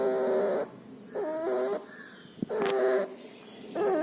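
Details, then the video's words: Puppy sick with pneumonia and distemper, with nasal discharge, making a loud breathing noise: wheezy, whining tones of about half a second, separated by quiet gaps. One sharp click is heard. "Puppy has pneumonia and distemper. Loud breathing noise and nasal discharge."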